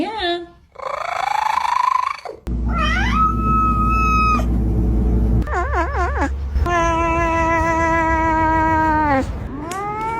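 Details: Pet cat making strange noises, edited in short comic cuts: rising whiny meows, a level held wail, a fast wavering warble, and a long sustained yowl ending in a falling dip, with a loud low hum and faint voices.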